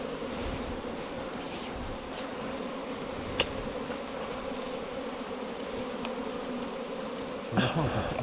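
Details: Low, unbroken droning of bees nesting in bamboo four metres long; a single sharp click midway and a louder rustling burst near the end.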